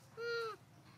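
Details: Baby monkey Hulk crying sadly while his mother Arina tries to comfort him and give him milk; a single clear, tonal, steady cry, slightly falling at the end, over quiet background noise.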